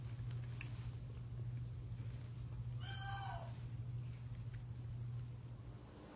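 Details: An Abyssinian cat playing and watching TV gives a single short meow that slides downward, over a steady low hum.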